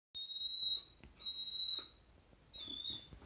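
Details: Luna, a Samoyed at home, whines because her best dog friend is walking past the house but it is not yet time to play. Three thin, steady, kettle-like whistles, each lasting about half a second, with short gaps between them.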